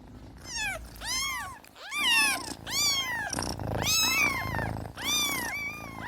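Several kittens mew in quick succession, high thin cries that rise and fall.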